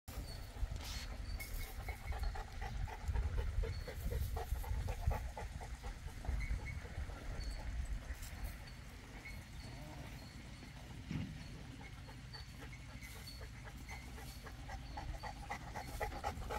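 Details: Boerboel, also called South African or African Mastiff, one of a pair living in Egypt, breathing in rapid, rough pants of about 160 per minute, low and breathy, with a faint steady background hum.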